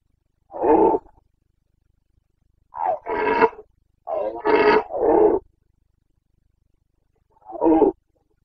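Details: Roaring of a Carpathian red deer stag in the autumn rut, Bucovina, Romania, 29.09.2022: a single roar, then a tight run of three or four gruff bellows in quick succession, and a last roar after a pause.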